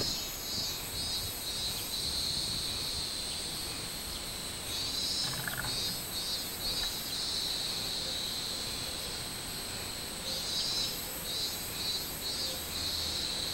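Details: Robust cicada song recorded 24 July 2016: high, pulsed shrilling phrases rise out of a constant insect drone, with a pause between bursts, over rumbling ambient noise.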